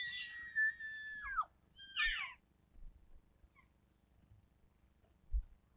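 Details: A bull elk answering with a bugle: one high, steady whistled tone held for over a second, then dropping sharply at its end. A short burst of squeaky, rising chirps follows over a faint low rumble.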